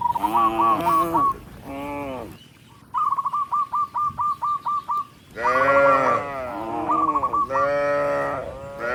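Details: Herd of tens of tame cattle moving along a rice field road. Deep, drawn-out lowing calls overlap at the start and end, with a steady string of quick, high, whistled chirps in between.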